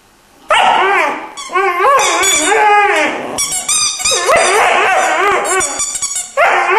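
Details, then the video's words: Three-month-old Irish Wolfhound puppy 'singing': a run of wavering, high, harmonic yowls that rise and fall in pitch. The notes come in several bursts with brief breaks between them. "Irish wolfhound is singing"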